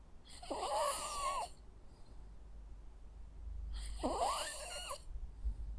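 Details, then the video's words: Jack Russell Terrier dog asleep indoors, snoring twice with raspy breaths carrying a wavering whistled wheeze, separated by about three seconds of quiet breathing. "Sounds of a Jack Russell dog snoring. Cute sleeping and snoring sounds."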